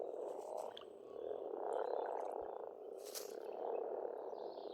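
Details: Spring pond frog chorus in Estonia, a thick rolling mass of croaks that swells and fades, rattling quickly, with a couple of sharp clicks and a faint bird note overhead.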